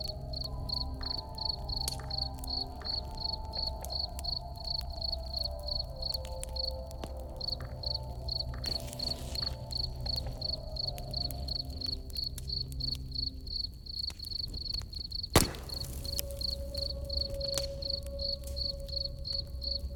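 A cricket chirps steadily in high, evenly spaced pulses over crackling fire and a low rumble.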